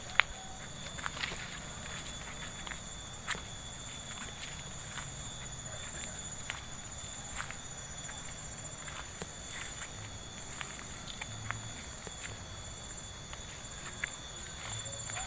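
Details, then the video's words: Insects heard during a walk through a village in Subang: a steady, shrill, continuous drone of several high tones layered together, unbroken throughout, with soft footsteps and light patter beneath. "Take A Walk To Hear The Insect Sound"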